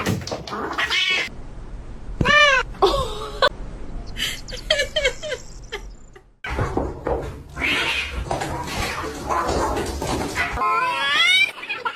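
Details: Domestic cats fighting: long, wavering yowls that rise and fall in pitch, broken by harsh hissing and spitting bursts and brief pauses, with a rising, quavering wail building near the end.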